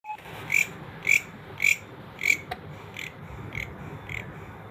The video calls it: Greeñ Grasshopper Natural Sound